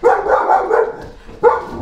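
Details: Female domestic dog barking wildly indoors at home while her owner talks; a run of short broadband barks in the first second, a pause, then another sharp bark.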